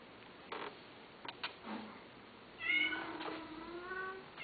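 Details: Cat producing a single drawn-out meow that rises then slowly falls, preceded by a few soft clicks and knocks in an otherwise quiet setting.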